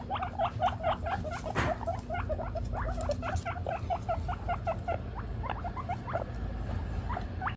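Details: Guinea pig squealing for food; continuous run of quick, rising wheeks at steady pace, slightly softer, with a brief thump and constant low background hum.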